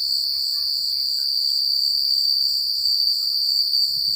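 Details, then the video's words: Country crickets at night keep up a dense, piercing trill, steady in pitch and loudness with a gently pulsing upper tone, above a faint low patter. "The Sound of Crickets at Night"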